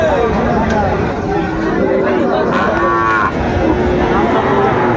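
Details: Sahiwal bull calves at a cattle market in Mymensingh, Bangladesh, on 30 May 2024: several low, drawn-out moos with rich harmonics rise and fall over steady crowd chatter and bargaining voices.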